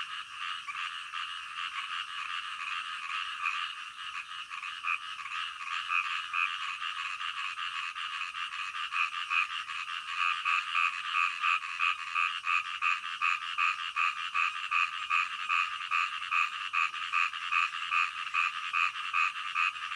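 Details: Frogs calling in the middle of the night, a dense chorus of rapid pulsed croaks, roughly two to three per second, forming a steady bright band with no other sounds.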